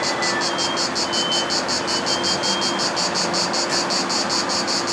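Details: Cicada singing on 3 August 2014 at Nugent Retail Park, St Mary Cray, Bromley: a high, rasping song of rapid, evenly spaced pulses, nearly three per second, over a steady roar of traffic noise.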